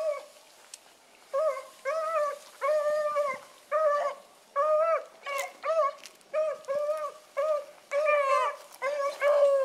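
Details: Dog pups in training howl in a string of short, clear, rising-and-falling tonal yelps, each about half a second long and repeated roughly every second, with some overlapping voices and quiet gaps between calls.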